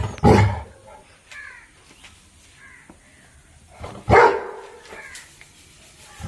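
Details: Labrador Retriever named Appu giving two loud, deep, single barks about four seconds apart, each a short harsh burst with a quick fade; quieter faint sounds fill the gap between them.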